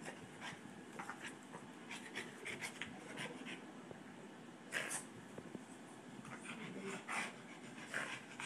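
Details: Boston Terrier and Pomeranian play fighting together; steady rough, low growling blends with quick panting and brief higher yips or squeaks near the middle and end, with scrabbling paw and collar noises.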